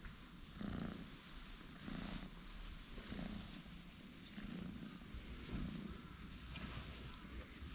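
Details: Orange tabby cat brothers, one light and one dark, stretching and lounging on a bench; low, soft rumbling pulses that swell roughly every second, faint against a steady outdoor background hiss.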